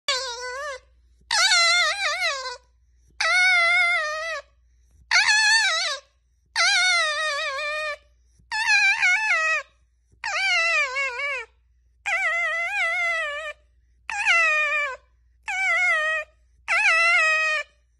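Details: A pet red fox gives a series of wavering, whiny cries, each about a second long.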